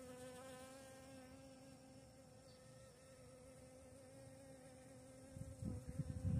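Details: Honey bee visiting flowers, giving a steady, continuous buzzing hum with rich overtones that holds an even pitch throughout; louder, low rumbling bursts, perhaps wind or handling, break in over the last second.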